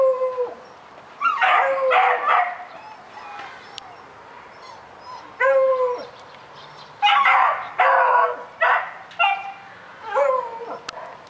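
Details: Daisy, a puppy, barking at a rabbit: short yelping barks with rising and falling whines, in bursts around two, five and seven to eleven seconds, quiet gaps between, no other clear sounds.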